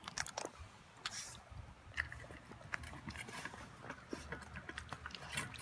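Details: Toby, an 11-week-old Boston Terrier puppy, eats his first raw dinner of beef with veggies and yogurt: quiet, irregular wet chewing and biting clicks in quick bursts, with a soft room background.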